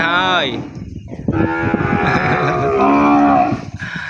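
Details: Separated calf calling for its mother inside a farm pen. One short bawl is followed by a long, sustained, wavering moo lasting over two seconds, with faint rustling underneath.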